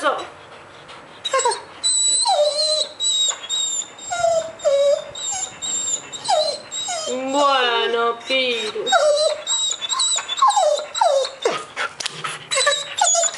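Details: A male pet dog pleads every morning for its owner not to go to work, giving repeated high whines and wavering yowls with bending pitch. A woman speaks Spanish between and over the calls.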